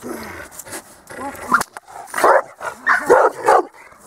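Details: A dog at a dog school on 8 December 2013 gives a run of short, loud, harsh barks, about four in quick succession in the second half, after a trainer's spoken praise and commands.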